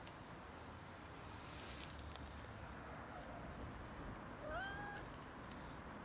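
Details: A sick cat, unable to eat, lets out one short, bending meow with bright harmonics near the end, over a steady murmur of outdoor noise.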